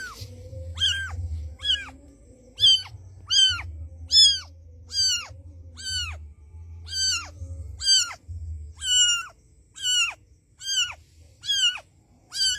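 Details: Street cat mother calling her white kitten to her: roughly fifteen brief high-pitched meows repeated at a quick, fairly even pace, with a low rumbling hum beneath.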